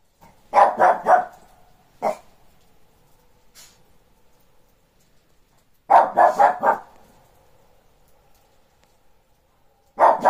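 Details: Shih Tzu barking at the neighbours' dogs during playtime: quick bursts of three or four sharp barks, a single bark near two seconds, another rapid burst around six seconds and a final volley at the end, with quiet between.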